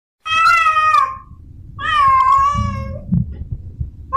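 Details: Male domestic cat in heat calling for a female: two drawn-out, harmonic yowls, the second dipping then rising slightly, with low rumbling noise underneath.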